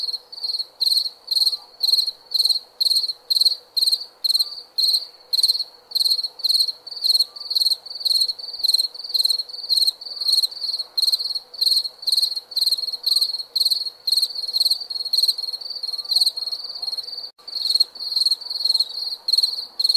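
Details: Steady nocturnal cricket chorus: high, buzzy pulsed chirps repeated about twice per second without pause, a quiet low drone underneath.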